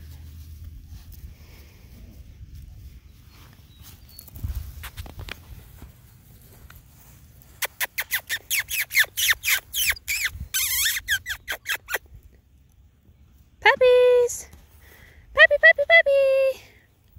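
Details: Several male poodle puppies play in the grass. After a quiet start, a long run of rapid, harsh pulsed yaps ends in two short, clear high whining yelps with a tonal, squeaky quality.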